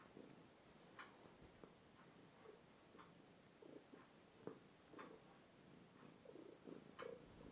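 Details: Overweight two-year-old male house cat purring indoors, captured on a phone; faint, steady breathing-paced rumble pulses throughout, broken by small sharp clicks and taps.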